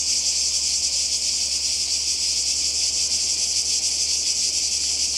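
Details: Summer 2020 cicadas on the Croatian seaside, a brief stretch of intense high, rasping buzz with fast wavering pulses, continuous and even.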